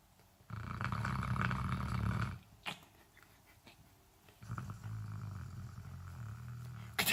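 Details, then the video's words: A dog snoring: a long, rough, low rumbling breath for about two seconds, a quiet gap, then a second steadier snore, ending on a sudden sharp noise. "Dog snoring"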